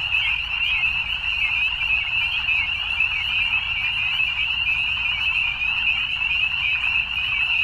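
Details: Evening chorus of many frogs, a shrill, pulsing, high trilling that never pauses, individual callers lost in the steady mass of sound above a quiet low rumble.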